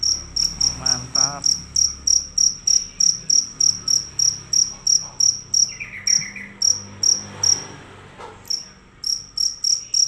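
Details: Fierce cricket calling loudly without a break: high, shrill chirps repeated about three times a second, with a short pause near the end and brief faint other sounds in the background.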